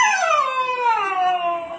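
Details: Four-month-old Siberian Husky puppy indoors, talking back because it does not want to come downstairs: a drawn-out harmonic howl falling from high to lower pitch over nearly two seconds, with a person's coaxing voice around it.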